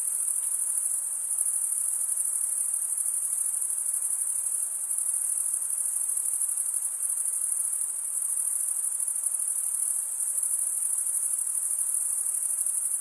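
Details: A long, even wall of high cricket chirping goes on without pause, a thin, piercing shimmer with small dips in loudness, over a quiet hiss and no other sounds.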